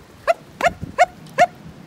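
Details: Sheepdog on a regenerative farm in County Kilkenny, Ireland, sniffing around an empty field as gates are closed; four short, sharp, mid-pitched barks spaced roughly a third of a second apart, with a soft low thud between them.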